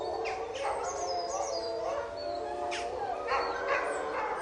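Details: Captive wolves in a pack howling and fighting: a steady layered howl chorus punctuated by short harsh yelping bursts and high squeals.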